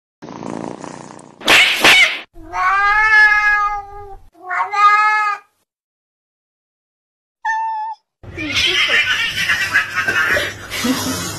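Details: Cat during a slapping encounter: drawn-out, wavering yowls rich in overtones, a brief higher cry after a silence, then a harsh, noisy burst of hissing and scuffling.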